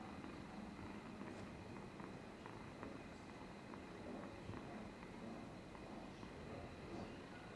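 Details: Domestic cat Amber, polychromatic coat, purrs and dribbles on 13 July 2022; continuous low, even rumble with gentle pulsing, light wet clicking sounds scattered through, and a steady faint background hum.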